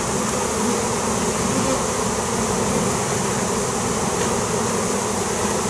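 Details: Airborne honey bee swarm, drawn in with crowbar noise, producing a thick, steady droning hum with no pauses, loud and unbroken throughout, like a constant roar of many wings.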